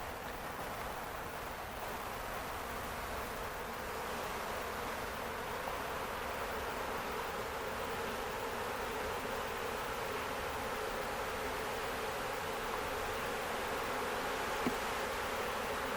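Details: Honey bee swarm caught by its own beekeepers on May 11, 2025, at a farm in Ontario, Canada, after the bees had gone into a box; a steady dense hum of many bees, with a brief click near the end.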